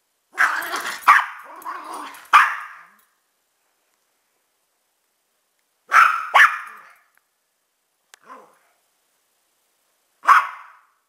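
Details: Pet dogs of mixed breed, chihuahua/pug and rat terrier/pitbull/jack russell/beagle, bark in clusters: three rapid barks at the start, two around six seconds, a faint yip near eight, one final bark.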